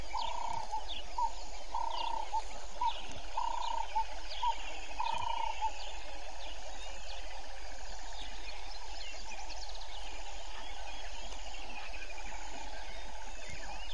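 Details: Grey foam-nest tree frogs at Vuyatela Pan, Djuma Game Reserve, Sabi Sand Wildtuin, South Africa, at 05:20 on 01/05/19, on a live waterhole camera: short mid-pitched pulsed croaks repeated roughly every second over a dense background chorus of insects and birds.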